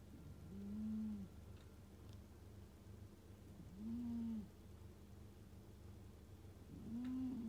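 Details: Scottish Fold cat snoring in its sleep: soft, low, whistling nasal tones, each about half a second long, repeated roughly every three seconds over a faint steady background hum.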